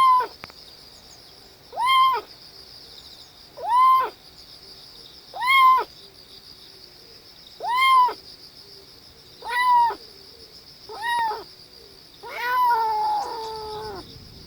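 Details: A kitten makes strange calls while pooping: seven drawn-out, arched mews, rising then falling, spaced about every two seconds, and ending in a longer wavering cry. A steady high electrical whine runs underneath.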